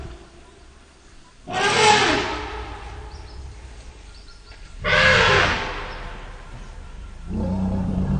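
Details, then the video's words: African elephants Pia, about 40, and Noor, about 38, with their 2-year-old calves Pia V and Noor V, startled by a sitatunga leaping from bushes and huddling together: two loud, harsh broadband trumpet-screams a few seconds apart, then a deep harmonic rumble. "Scared Elephants"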